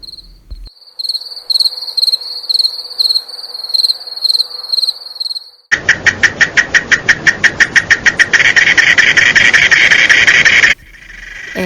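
A cicada's loud, harsh buzzing song, pulsing rapidly, follows a cricket's high, steady chirping.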